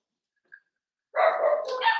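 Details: Overnight puppy-cam recording of Cavalier King Charles Spaniel puppies, Ruby and Blenheim coats, born June 2022: after a faint chirp, one sustained, wavering harmonic whine lasting nearly a second.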